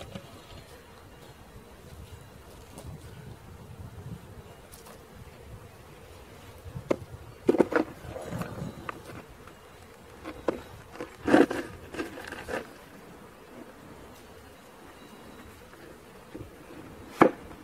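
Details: Honey bee swarm being caught and boxed, the original green-marked queen on the ground near a new queen; a steady low droning hum runs throughout, broken by loud knocks and handling clatter in the second half.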